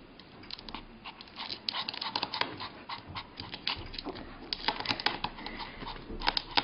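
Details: A puppy eager for a treat pants and snuffles in rapid, uneven breathy bursts that grow denser and louder midway, with a few sharp clicks in a small indoor room.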